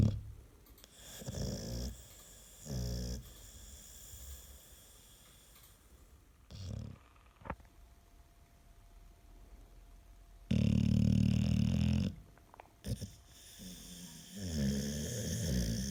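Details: An American Staffordshire Terrier snores indoors, said to be louder than a washing machine on spin; low rumbling snores come in irregular bursts, with one long, loud snore near the middle and quieter breaths between.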